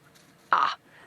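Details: A common dwarf mongoose, off to one side while the group corners a boomslang in a tree at sunset in the African wild, gives a single sharp, shrill alarm chirp, probably at a bird in the sky, sending the group running for cover.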